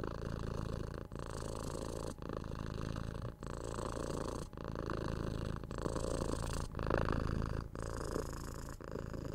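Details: Six-month-old kitten purring while cuddled, patted and scratched on the head, recorded indoors for ASMR: a steady low rumbling purr broken by short pauses about every second, swelling louder near the end.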